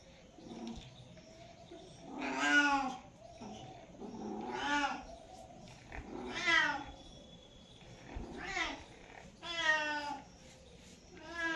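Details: Cat calling in the mating season, reportedly a first mating: loud, harmonic caterwauls, each a strained wail rising and bending down, repeated roughly every two seconds, with quieter mewing between them.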